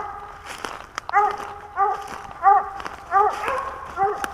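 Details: Dog out squirrel hunting in Pennsylvania in 2021, on day four of a hunting series: a string of short, sharp barks spaced a little under a second apart, with faint voices underneath.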